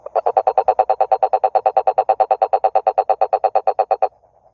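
A toad gives a fast series of low, throaty croaking pulses, about seven each second.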